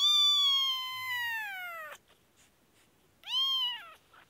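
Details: Infected Kashmir kitten crying: one long drawn-out meow of nearly two seconds that slowly falls in pitch, then a shorter arched meow after a pause, in a quiet room.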